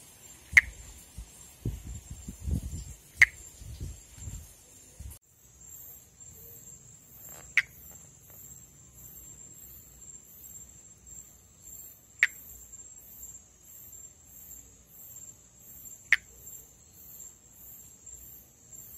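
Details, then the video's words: Brazilian endemic Pithecopus nordestinus, the monkey tree frog, calling during amplexus: five brisk clicks at uneven gaps of two to five seconds, with rustling early on, then a high steady insect drone and rhythmic distant chirping. "Vocalização e amplexo de Pithecopus nordestinus"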